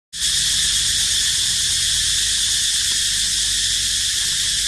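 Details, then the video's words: Cicada crying near where baby monkeys live, a loud continuous high buzzing drone starting abruptly and holding steady throughout. "Amazing Sound Of Cicada Crying"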